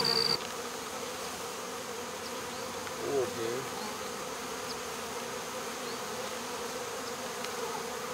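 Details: Honey bee swarm being removed from a local baseball field, the queen already in a box while stragglers cling to a wall; a steady, dense low hum of many wings with a faint higher overtone runs throughout, with a brief knock near the start.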